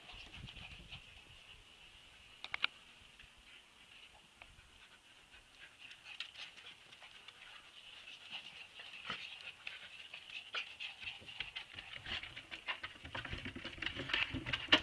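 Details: Siberian Husky puppies whimpering, a thin high squeaky whine held on one pitch, faint at first and swelling louder toward the end, with scattered clicks and rustling throughout.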